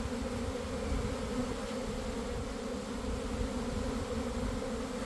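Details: Honey bees swarming from a garden hive at about one in the afternoon after damp weather: a smooth, sustained low-pitched hum, steady throughout with slight swells in volume and a rumbling undertone.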